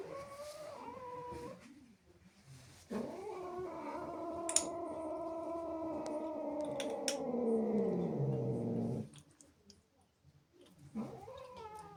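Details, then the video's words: Indoor female cat, angry and jealous of playful kittens in the house, lets out a short rising wail, then a sustained six-second caterwaul that slowly sinks into a growly low tone, ending with another brief rising cry. "Angry cat makes incredible sounds"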